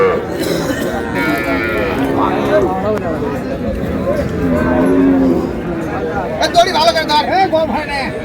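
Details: Cattle, cows sold with their calves, at Raniganj haat in Dinajpur on June 4, 2026; a mid-pitched moo stands out early, then softer lowing mingles with men haggling over price and busy market sounds.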